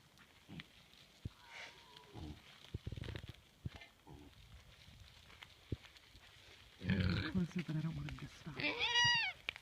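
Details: A male alpaca makes odd, strained calls at a horse he has been sparring with and spitting at, ending in a shrill, wavering cry, with people talking nearby.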